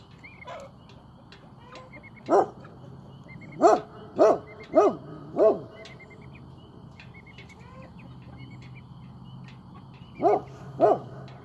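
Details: Great Pyrenees on watch, barking after play time: deep single barks in irregular bouts, one early, a run of four close together, then a pair near the end, with faint bird chirps and a low steady hum behind.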